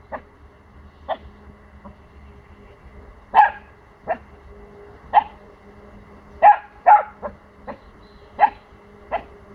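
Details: Young Pomsky, four months old, protecting his territory on hearing sounds from the neighbours, lets out short sharp barks spaced irregularly, some louder yelps among softer ones, over a constant low mechanical hum.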